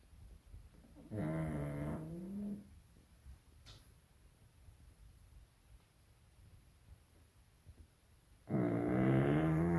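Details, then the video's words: A young female pug sleeping indoors and snoring; two long, rasping, throaty snores with a buzzing tone, about six seconds apart, separated by near quiet. "Snoring pug"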